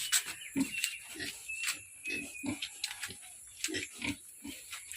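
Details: Pietrain pig grunting: short, low, snorting grunts repeated roughly every half second in irregular bursts, with a man talking and music playing faintly behind.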